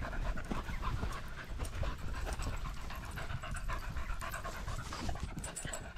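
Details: On a small-dog pack walk, 13 September 2022, 16°C and sunny, filmed on a GoPro Hero 10 Black: a Border Terrier pants quickly. The airy breaths repeat in an uneven, steady stream over constant low outdoor rumble and footstep noise.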